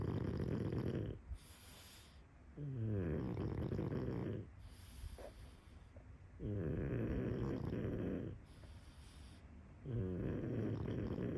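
Deep, raspy snores from a pug come in regular waves, a fluttering rattle on each long breath in. Quieter gaps of softer breathing separate the loud, throaty bursts.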